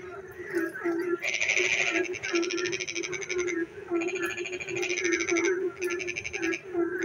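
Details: Frogs on a rainy night in darkness, long trains of rapid grating pulses, a bright louder note at the start, alternating with pauses, over a steady low croaking chorus.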